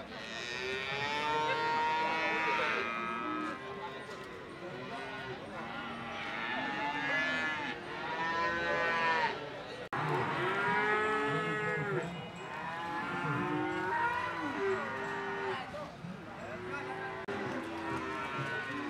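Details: Cattle at the Ambarketawang livestock market in Gamping, Yogyakarta, Indonesia: several animals lowing in overlapping, drawn-out harmonic moos that rise and fall, with a busy crowd murmuring throughout.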